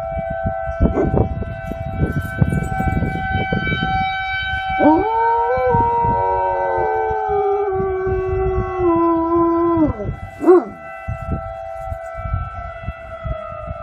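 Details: Komondor or Puli dog howling a long sustained note that rises, holds level for about five seconds, then drops, followed by a short yelp, over rustling noise and a steady background tone.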